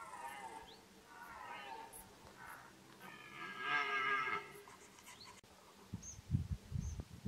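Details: Deer in the wild at the start of the rut; a drawn-out, harmonic bellowing roar swells over several seconds to a loud peak, then fades, followed by low thumps and rustling near the end.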